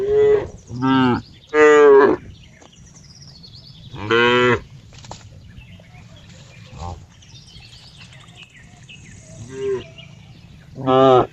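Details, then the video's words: Several short, harmonic cow moos in bursts, three close together at the start, one midway and one at the end, with quiet stretches between. "cow funny sound"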